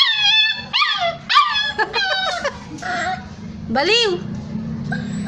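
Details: Hungry street puppies crying as they look for their mother; a run of short, sharp, rising-then-falling yelps and whines over a steady low hum, with voices in the background.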